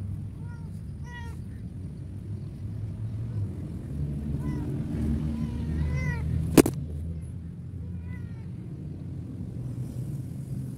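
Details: Cat thrown away at the side of a road, with no food nearby, uttering short bursts of high, bent meows in small clusters, over a low traffic hum with one sharp click.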